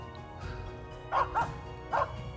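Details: Finnish Spitz hunting gamebirds south of Stalon near Lake Malgomaj under low cloud gives three sharp, mid-pitched barks, two close together then one after a short pause, over a steady low hum.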